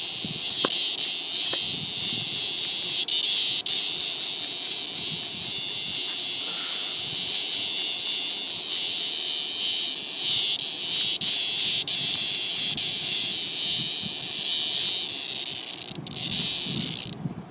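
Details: Cicada up in a tree, being eaten alive by a praying mantis, gives a continuous harsh, high-pitched buzzing scream that holds steady with slight pulsing for the whole stretch, with a few faint clicks and rustles beneath.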